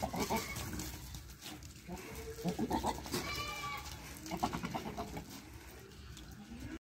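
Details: Goats on a farm in Village Doongriya Khurd near Pushkar, Ajmer, Rajasthan, a Sirohi male and an Ajmera female among them; several short, fairly quiet bleats overlap in a cluttered, noisy farmyard background.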